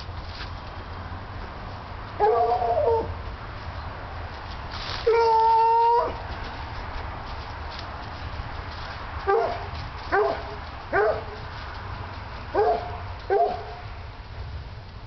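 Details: A Coonhound catching a scent gives a short bark, then a steady, ringing bay lasting about a second, then five quick, clipped barks in the last six seconds over a low background rumble.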